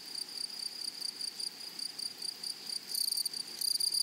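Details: Grasshoppers singing in a flowering prairie meadow, a thin continuous high-pitched whine overlaid by two short bursts of harsh, buzzy pulsed chirping in the final second, with the sound swelling in rhythmic waves.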